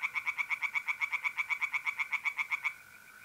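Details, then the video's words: A tree frog calls at night in a pond in north-east Italy in mid-April, giving a fast run of about eighteen loud, rasping pulses over nearly three seconds. A faint steady mole cricket trill hums underneath. "relaxing singing tree frogs in pond"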